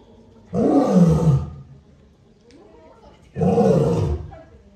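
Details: Male lion giving two deep, rasping roars about three seconds apart, each starting loud and sliding downward in pitch into a gravelly rumble, with a faint grunt in the gap.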